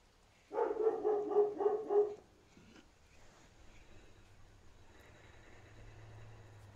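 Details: Dogs in breeding season at midnight, a female courting a white-furred male before mating; a short series of about six rapid nasal whimpering yelps over one and a half seconds, then quiet night background with faint low hum.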